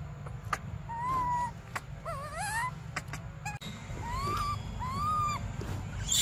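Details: Hungry baby monkey Briar cries for milk: plaintive whining notes, one fast wobbling trill climbing upward, then more arched whimpers, all over continuous low-pitched rumble.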